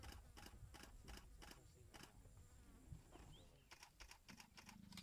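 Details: A male leopard in Balule, South Africa, on Valentine's Day gives a contact call to a leopardess close by: a series of rough, rasping strokes like a saw cutting wood.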